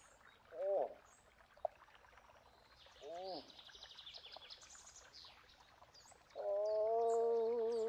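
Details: Moose calling in the open: two brief arched moans early on, then a long steady harmonic moan starting near the six-second mark, with faint birdsong chirping high above throughout.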